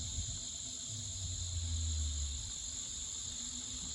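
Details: Crickets at night in the yard of a farm house in the countryside, a steady continuous high-pitched ringing drone with a faint lower hum in the background.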